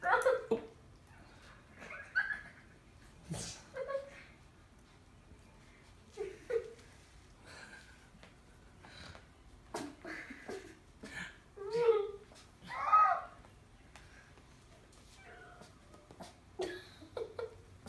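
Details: Poodle puppies playing and mock-attacking indoors in a small room, giving short, high, harmonic yips and barks in scattered bursts with quiet gaps, mixed with a person's speech and soft breathing sounds.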